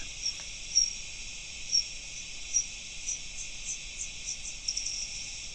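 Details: At night, a bat's short ultrasonic chirping echolocation calls, shifted down to audible pitch, come about once a second, then quicken into a buzz as it tries to catch an insect, with a steady high hiss underneath.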